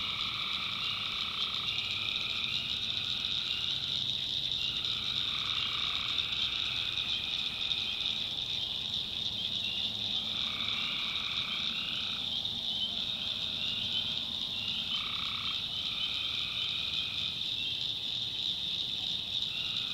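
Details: Night chorus of tree frogs in a North Carolina swamp: bursts of buzzy, croaking calls lasting a second or two, separated by short gaps, over a constant high-pitched hum of crickets.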